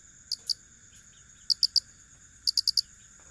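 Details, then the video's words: Cricket chirping in short bursts of two, three and four high, sharp pulses, separated by pauses, over a faint steady high-pitched hum and low background rumble. "Suara asli jangkrik"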